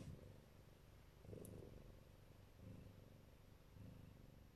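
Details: Low, steady rumbling purr from a Siberian or Neva Masquerade mother cat guarding her kittens, swelling and fading in slow breathing pulses a little over a second apart, with faint room noise.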